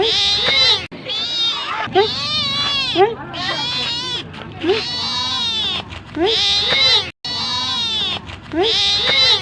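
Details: Cat meowing for food in long, loud runs of rising and falling meows, strained and nearly continuous, broken by short gaps.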